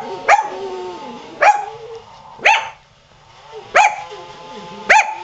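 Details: Pet dog Qusi barks as a rototiller runs in the yard, five sharp ringing barks about one second apart, with softer whines from a second dog, Hyzzie, crying in the gaps.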